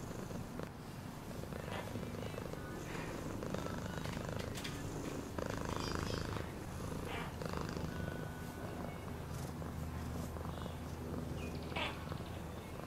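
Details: Domestic cat purring in a steady low rumble, continuous throughout, with brief soft rustles and faint thin tones above.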